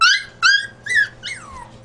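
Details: Four quick, shrill whimpers from a dog, each a short squeal that drops in pitch. The last one trails off into a long, sinking whine. No other sounds are heard.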